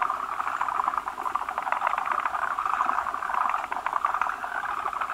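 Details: Forest green tree frog chorus at a spawning place where numerous males crowd a large female holding eggs, which are laid as foam masses; steady, busy trilling clicks from overlapping frogs with no pause.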